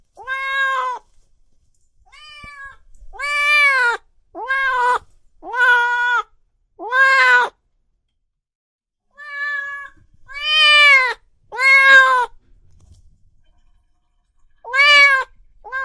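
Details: Cats and kittens meowing loudly in a long series of arched, harmonic meows, some short and some drawn out, coming in bursts with brief silent pauses between them.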